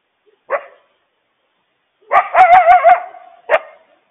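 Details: Coyote mother yipping and howling to warn her family of a huge loose stray dog nearby; a short yip, then a wavering, quavering howl with rapid clicks, and a final sharp yip.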